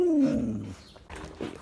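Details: Patty, a plump and very affectionate Siberian Husky, gives one drawn-out tonal whine that slides steadily downward for under a second and then fades into quiet rustling.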